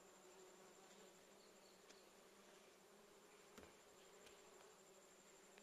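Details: Western honey bee (Apis mellifera), wing buzz.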